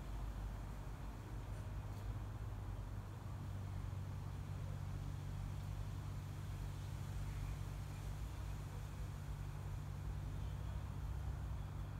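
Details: Steady low rumble of road traffic and engines fills the background, with no other distinct sounds.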